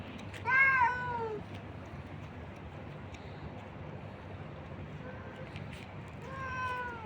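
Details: Stray cats fed on the street, one short loud meow near the start, a long quiet stretch of low background noise, then a fainter meow and a final drawn-out falling meow.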